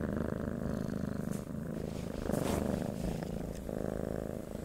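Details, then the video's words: Short stretch of domestic cat purring, a dense low rumble that swells and softens with each breath. "Purring of a Cats"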